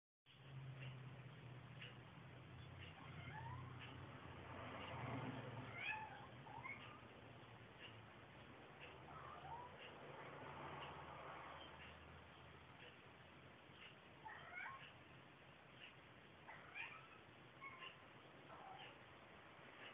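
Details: A pet cat's morning meow, said to sound like a squeaky door, given as he walks up the stairs. Faint, creaky meows with a rise and fall repeat several times over a low steady hum, with some speech in the background.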